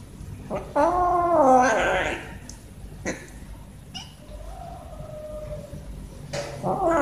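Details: Domestic cat, one of two climbing fast for food at feeding time, gives a long wavering meow that rises then falls, followed by a quieter drawn-out call and a final rising meow starting, with faint room noise between.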